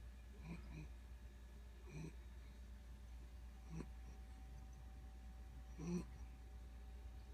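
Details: A sleeping one-year-old female Corgi snores softly, with low, rumbling breaths every couple of seconds.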